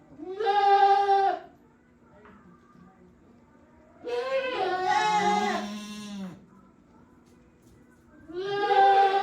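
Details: Penned goats in a farm shed, 5 December 2023, known for assorted and occasionally odd voices: three drawn-out bleats roughly four seconds apart, the middle one overlapping a lower, harsher call beneath a faint hum.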